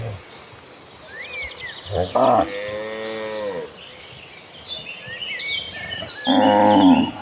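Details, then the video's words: Tame cattle herded in a large group toward green pasture: a short low moo, then a long sweeping moo that rises and falls, and a loud final bellow, while birds chirp and twitter throughout. "Herding Hundreds of Gentle Cows Mooing Toward the Green Pasture, the Sound of Tame Cattle Mooing."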